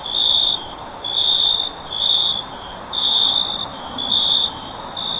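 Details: Cricket calling: a steady, shrill, high trill broken into bursts about once a second, over a faint hiss.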